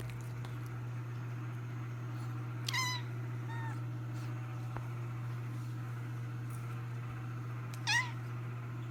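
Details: Jojo, a pet cat, meows twice indoors, each call a short harmonic cry falling slightly in pitch, about five seconds apart, over a steady low hum.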